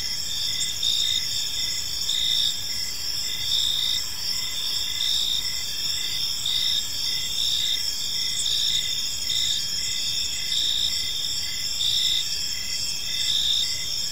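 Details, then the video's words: A chorus of crickets chirping in a peaceful park as evening falls: shrill, steady ringing broken into rhythmic bursts close to once a second, above a quiet low-frequency background murmur. "Park Serenade: Cricket Sounds in a Peaceful Park"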